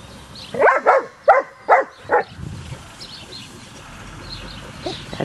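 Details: German Shepherd puppies Kacee, Luger and Zelda after a training session: five sharp barks in quick succession over two seconds, then quieter high yips and faint background birds.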